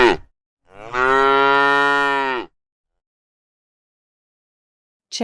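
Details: Cow heard for toddlers learning animal noises: a single loud, sustained moo lasting nearly two seconds, rich and steady in tone with a slight fall at the end, surrounded by silence.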